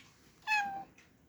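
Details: Black cat, named Aayla, gives a single short meow lasting about half a second, a clear harmonic tone starting high and sliding gently downward, followed by a faint brief breathy sound in a quiet indoor setting.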